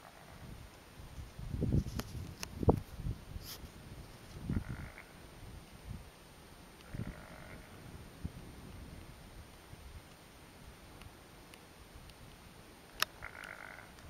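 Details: Wild bighorn ram at his hangout on a mountain saddle, having spotted an intruder; recorded on a small Canon S95 camera. Low guttural burping grunts come in short bursts early on, then fainter ones, with occasional clicks and light rustling.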